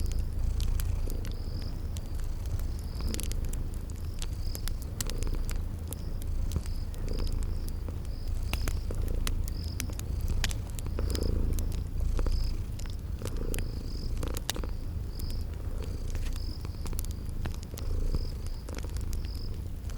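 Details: Sleeping kitties purring in a cozy spring garden ambience: a steady low rumbling purr fills the whole stretch, broken by sharp crackles from a fireplace and short high cricket chirps repeating in the background.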